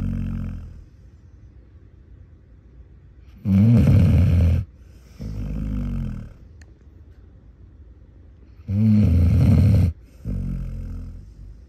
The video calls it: One Minute of Aggressive Basset Hound Snoring